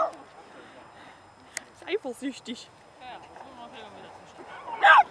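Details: A 4-month-old female Dobermann puppy at a puppy play session on 23 October lets out a run of short, squeaky yips, then a louder whining cry near the end, while human voices murmur quietly.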